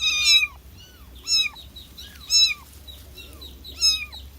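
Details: Young kitten crying out for its mother, plaintive high mews spaced roughly a second apart, each sliding down in pitch, with faint hum underneath.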